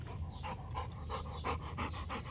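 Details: Rottweiler panting hard while playing fetch, throwing and catching a ball; quick breathy bursts about three per second over a steady low hum.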